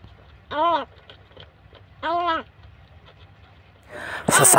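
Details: Two drawn-out, arching wails from a scared rescued kitten at home, about a second and a half apart, followed by a sudden burst of loud rustling noise at the end.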